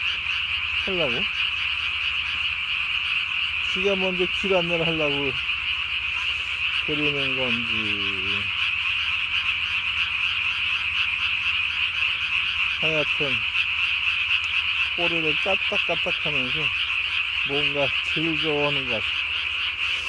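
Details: Night recording from 3 May 2020 of a Japanese tree frog calling with its chin sac ballooned as big as its body; bouts of three or four quick descending croaks come every few seconds against a steady shrill hum.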